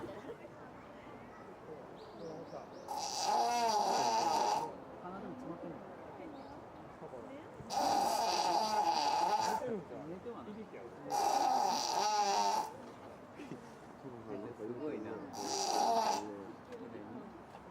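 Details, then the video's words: Hippopotamus, eyes open and apparently awake, pushing sound through its nose: four loud buzzy, rasping nasal blasts of about one to two seconds each, spaced several seconds apart, with quiet murmured talk from onlookers between them. "カバのいびき？ Hippo Snoring?"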